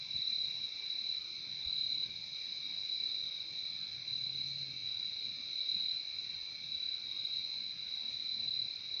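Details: Steady, unbroken high-pitched trilling of crickets outdoors in nature, a dense shimmering chorus with one bright band and a weaker lower band, almost nothing else heard.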